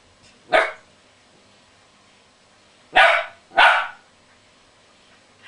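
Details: Gizmo the Westie plays with his cuddly toy whale and lets out three sharp, broad barks in a quiet room. One comes early, then after a pause a quick pair follows about half a second apart.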